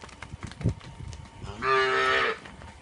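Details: A Punganur cow gives one loud, rich, buzzy moo lasting under a second, after a few soft knocks and rustles.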